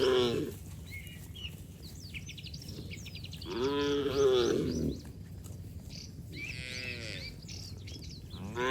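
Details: Muddy cattle frolicking and splashing in the open: one long, strong moo about four seconds in, with fainter lowing at the start and end, over constant chirping birds.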